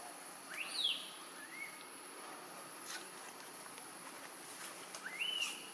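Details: Newborn baby macaque in Siem Reap Province, crying loudly from hunger for milk after being kept away by the monkey Tarzanna. A few brief, high, arched whistle-like cries rise and fall, with a faint steady hiss behind.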